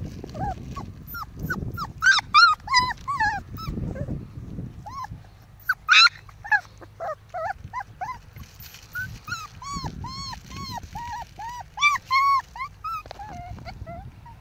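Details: Five-week-old Pomsky and Husky puppies at play give many high, bent whines and yelps. Early on they come scattered, then turn into a fast series of sharp, repeated yips, with low shuffling and growl-like rumble beneath.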